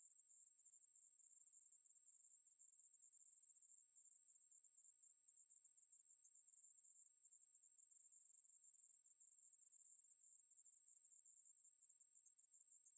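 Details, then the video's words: Ruspolia katydid song from the National Institute of Biological Resources, 2020: a steady, unbroken high-pitched buzz held at one even pitch and loudness throughout, with no other sounds. "매부리, 여러번 듣기, 곤충소리"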